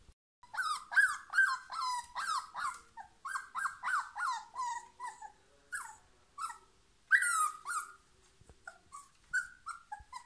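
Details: A female husky sits in a basket, trying to work out how to climb out. She gives a run of whining yelps and howl-like moans that rise and fall, some rapid and some drawn out. A person speaks briefly.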